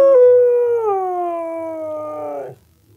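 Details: A Siberian Husky, prompted by its owner to "talk" and "sing" I love you, gives a long, drawn-out howl sliding gradually lower before breaking off; Siberian Husky.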